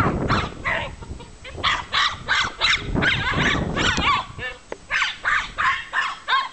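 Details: A 1-year-old Jack Russell Terrier attacks a badger it hates from a scaffold, barking in rapid, high, sharp yaps, roughly three each second.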